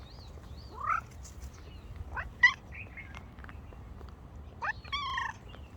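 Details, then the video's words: A ginger cat gives quiet, brief rising chirp-like calls, some with stacked harmonics, spaced a second or two apart over a low steady background hum. "חתול ג'ינג'י משמיע קולות Un gato pelirrojo hace ruidos"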